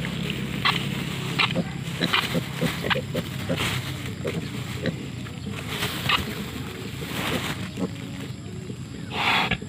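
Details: A huge wild boar sow with her curious piglets sniffing around gives low, rough grunts mixed with quick snuffling snorts and scattered rustling.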